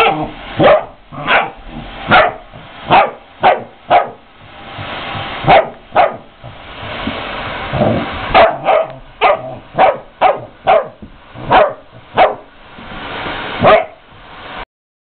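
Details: Puppy worked up by a vacuum cleaner barks again and again for about fourteen seconds, around eighteen sharp, punchy barks at a fairly even quick pace, with a brief low rumble near the middle.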